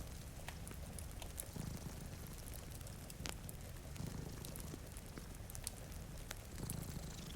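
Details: Low, rumbling purring from two cats asleep in front of a rain-streaked window swells now and then beneath constant rain patter and scattered fire crackles.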